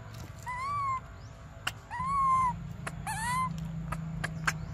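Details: Young monkey Briar, a baby begging for milk, repeats thin arched whimpering cries, the last one quavering, with clicks between calls and a steady low hum beneath.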